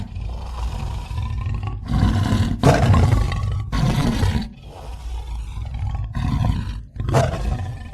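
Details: Roaring tiger giving a series of deep, throaty roars and grunts, several separate bursts swelling and fading over eight seconds, the loudest around the middle, each rough and rumbling low with gravelly texture.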